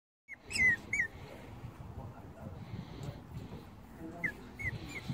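A Maltese cross Shih Tzu pup gives brief, high, falling whimpers over soft rustling noise.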